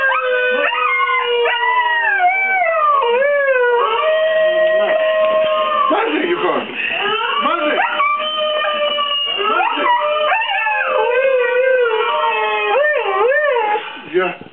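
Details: A pet Siberian Husky howls in long, wavering, overlapping tones that rise and fall, joining in with a video of howling wolves played to him.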